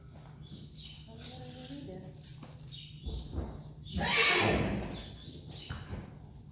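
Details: Friesian horse neighing in a stable. A short harmonic whinny with stacked tones comes early, then a louder broad, rough burst near the middle, with voices and hoof clatter around it.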